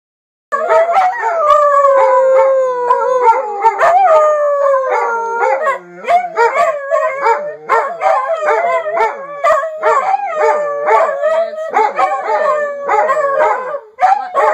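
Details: Beagle yelling in a long, loud run of howls and wavering bays, pitch sliding up and down in dense overlapping harmonics, with short breaks between bursts and no other clear sounds.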